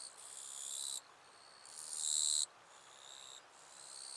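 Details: Eastern Japanese katydid recorded wild in northern Miyagi, Japan, August 22–23, 2024: loud harsh buzzing bursts about a second long, separated by quieter pauses, with fainter insect trilling continuing underneath.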